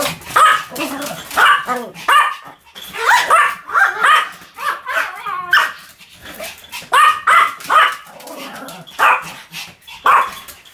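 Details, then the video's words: Shrill, quick-fire barking from a Pomeranian, with bursts of two or three yaps in steady succession and barely a pause between them. "犬の鳴き声 ポメラニアン 1000回吠え"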